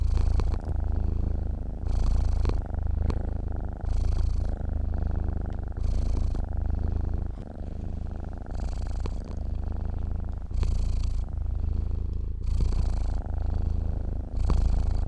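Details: A cat purrs while asleep: a low, even rumble carried through fifteen seconds, pulsing louder with each inhale and exhale at a slow, regular breathing pace.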